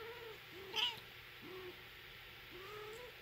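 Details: British Shorthair silver shaded chinchilla cats, a mother with her kitten, in a kitchen: four short, soft arched mews, each rising then falling, spaced through three seconds over a steady background hiss.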